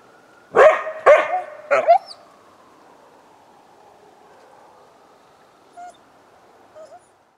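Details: A coyote responding to a passing ambulance siren on February 20, 2018, gives three sharp barking yips within two seconds, followed by near silence with a faint lingering hum and two soft distant notes.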